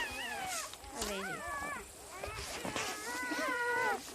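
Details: Misty's newly born litter, being counted up to eight beside their mother, squeak in thin, quavering whimpers that bend up and down, broken by short rustles and handling noises.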